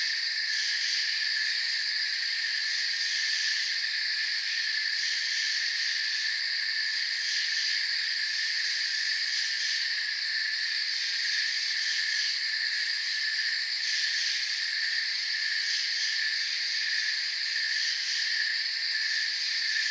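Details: Forest crickets chirp together in a constant high-pitched shimmer. Several overlapping trilling layers hold steady for the whole stretch, with faint pulsing at the very top and nothing else clearly heard.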